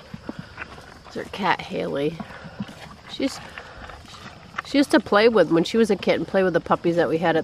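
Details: Great Dane puppies, six weeks old, during their first bath, which they hated; a faint opening stretches into a run of wavering, whiny cries with rising and falling pitch in the final seconds.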